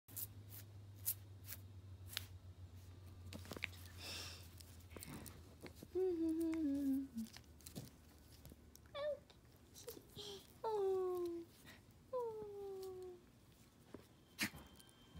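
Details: A female Chihuahua playing with a person's hand, unhurt. Four short tonal whines, each sliding downward, come in a cluster over several seconds, with faint rustling and handling noises between them.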